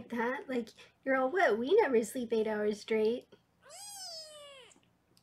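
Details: Foster kitten being weighed indoors on a live kitten cam in Los Angeles gives one long, drawn-out meow that rises slightly then falls, following a woman's steady talking; small quiet room.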